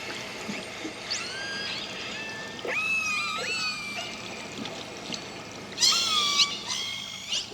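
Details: Resident killer whales in Canadian waters trade sliding, whistle-like calls that rise and fall; they live in small female-led families, and each family or clan prefers its own dialect of the nearly 50 call types.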